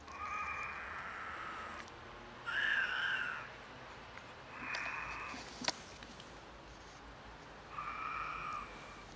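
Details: Unusual meows from a pair of stray cats in poor health, one sick: four hoarse, drawn-out cries, the second loudest and slightly rising, with a sharp click in between and a soft background hiss.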